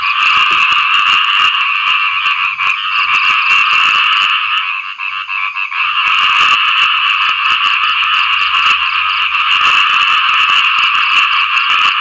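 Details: A chorus of frogs calling to attract mates after rain: rapid, harsh croaks repeated several times a second merge into a steady buzzing din, easing slightly midway before returning loudly.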